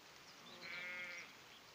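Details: Cat in a hammock outdoors in the rain, giving one drawn-out, even-pitched meow of about half a second over a steady hiss of rain.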